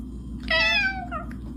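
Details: A domestic cat gives a single drawn-out meow that slides gently downward and ends in a short second note, over a low indoor hum.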